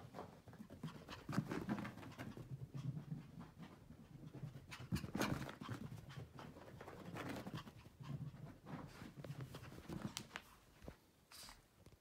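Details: Maltese dog running around indoors, panting in quick rhythmic bursts of breathy low noise with brief pauses, some soft thumps and scuffles of movement in a small room.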